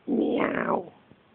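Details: Siberian Husky making a kitten-like mew toward a kitten: one loud, broad, slightly rising then falling cry lasting under a second, heard indoors.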